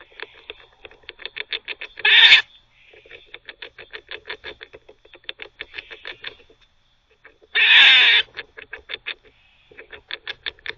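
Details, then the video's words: Squirrel barking while gnawing: fast trains of sharp clicking chucks with two loud, coarse, hissing barks about five seconds apart, the clicks continuing between and after them. "Squirrel barking (while teething)"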